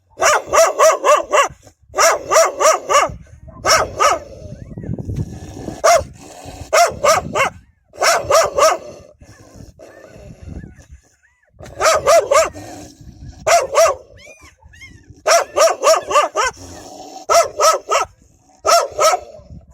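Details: Several wild dogs fiercely defending their pups with loud, frightening barks; rapid bursts of harsh barking in clusters of three to five, separated by short pauses with low rumbling and scuffling between bursts.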